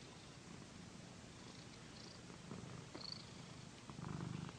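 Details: Paquita, a pet cat being massaged indoors, purrs in a low pulsing rumble that swells louder toward the end, with light fabric rustling over it.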